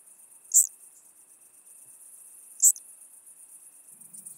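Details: Chabrier's marbled bush-cricket singing at Arzo, Switzerland, on 4 August 2023, picked up through a Pettersson D 100 ultrasound detector with noise removal: two brief, sharp, high chirps about two seconds apart, otherwise quiet.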